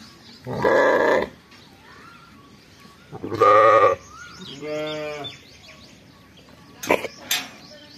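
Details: Sheep with fall lambs on a farm, bleating: two loud harsh bleats near one and three and a half seconds, then a quieter wavering bleat, followed by sharp clicks.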